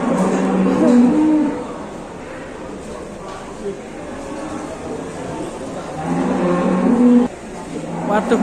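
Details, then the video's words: A ploughing cow acting up, mooing twice in low drawn-out calls near the start and again around six to seven seconds, with men talking and exclaiming over a noisy background. "SAPI MBAJAK S4NGEK BIKIN ULAH‼️"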